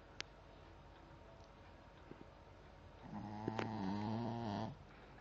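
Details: Snoring dog giving a single long, buzzy, low inhaled snore with a wavering harmonic texture near the end, preceded by a few seconds of near silence with faint ticks indoors.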